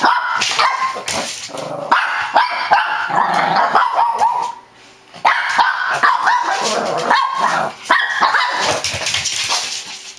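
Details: Wild barking from a Shih Tzu, near-continuous rapid barks and yaps with whiny rising tones, one short lull midway before another burst of excited barking.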